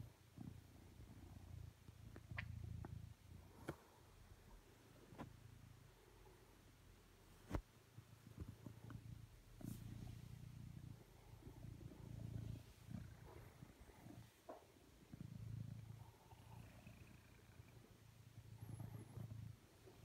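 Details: Male blue British Shorthair cat on a sofa next to his owner, asking for cuddles indoors; deep, continuous purring swells and fades in slow breathing cycles, with scattered soft clicks and taps.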